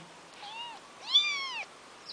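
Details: Kitten Junior, a former street cat playing with the larger cat Noro, gives two meows: a short soft one, then a longer, louder arched meow with a clear falling end, over faint background hiss.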